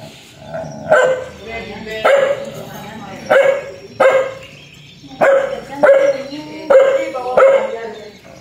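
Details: Fierce dog barking aggressively, about eight rough, mid-pitched barks at irregular intervals of roughly one second, with a steady faint hum behind.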